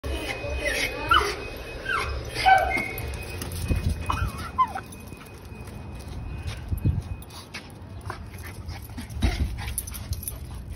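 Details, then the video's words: Miniature schnauzers rushing out of the groomer give excited high whines and short yelps in bursts over the first five seconds, then scattered calls; human voices, footsteps and handling noises throughout. "Dogs rush out of groomer mini schnauzers funny"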